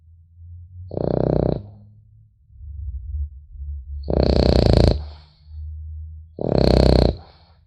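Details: Sleeping French Bulldog puppy snoring indoors: three loud, rough snorts about every two and a half seconds, each a low buzzy rasp with a hissing top, softer breathing between them and a faint low hum in the background.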